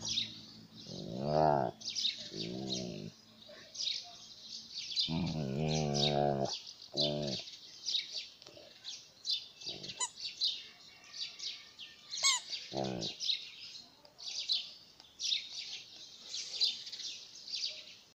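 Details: Alaskan malamute playing with a toy, giving drawn-out, harmonic whining and moaning calls in bursts of about one second, some rising and falling, with quieter gaps between. A steady high chirping hiss runs underneath throughout.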